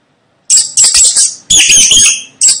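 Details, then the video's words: Shrill rat squeaks come in four close bursts after a brief silence, the longest near the middle, high and harsh with a slightly warbling tone. "Tiếng chuột kêu Hình ảnh và tiếng kêu con chuột"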